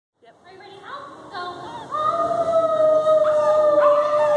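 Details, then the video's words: Nakota, a young wolf pup, howls on command alongside Melissa Burns: a drawn-out tonal howl that starts low, climbs, then holds steady with rich harmonics, and a short voice is heard near the start. "Nakota and Melissa howling."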